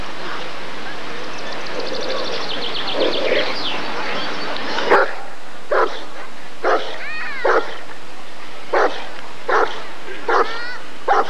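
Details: At the 1994 ADRK Körung breed survey, several seconds of human chatter give way to a Rottweiler's sharp, repeated barks, spaced unevenly about a second apart, with a voice still audible between them.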